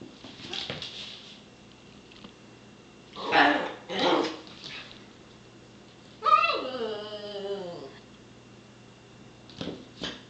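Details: Miniature schnauzer playing indoors with a cat: two broad, rough bark-like bursts, then a drawn-out whining yelp that slides downward in pitch, with faint speech and a steady low room hum.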